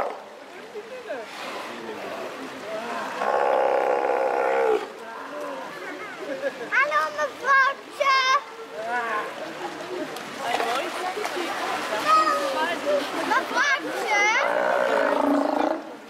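Steller sea lions give deep, harsh roaring calls in long bursts, with human voices nearby.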